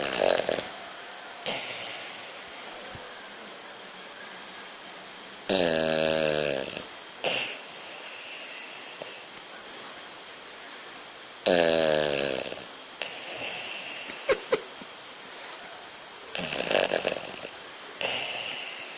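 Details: A French Bulldog snores loudly, with buzzy, rattling breaths repeating every few seconds.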